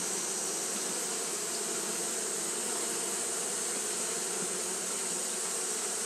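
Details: Steady wing-fanning drone from Japanese honey bees on a hot day: an unbroken mass hum with faint flickers and a strong, even hiss layered over it.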